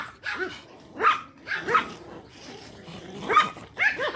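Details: Pomeranians in a pack playing fetch; a few separate high, clipped barks come about half a second apart with quiet gaps, ending in a quicker double yap.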